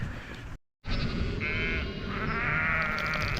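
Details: Hungry lamb, earlier lost and searching for its mother, calling after finding her and wanting to drink, in countryside; harmonic bleats in the second half over a dense, noisy background, after a brief silent break near the start.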